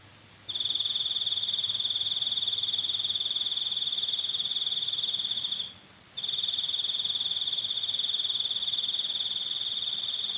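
A cricket chirps in a steady, high, ringing trill, pausing once briefly before resuming.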